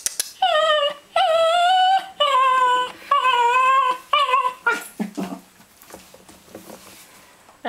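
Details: Male Cairn Terrier indoors, singing to get his ball thrown: five steady, tonal howl notes of about a second each in quick succession, then shorter yips that fade out.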